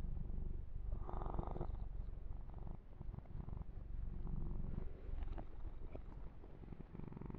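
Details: Male pet kitten purring while being massaged and groomed for close, ear-to-ear recording: steady low rumbling pulses throughout, broken by a brushing, rustling burst of fur handling around the first second.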